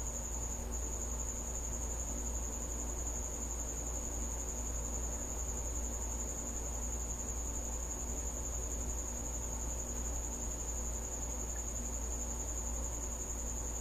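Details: A cricket visiting a house at night gives a thin, high, unbroken trill that holds steady for the whole stretch, over a heavy low rumbling hum.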